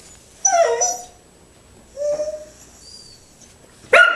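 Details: Six-week-old puppies whining: two drawn-out, tonal whimpers that slide downward, with a shorter one about a second later and a sudden sharp yelp at the end, separated by quiet pauses.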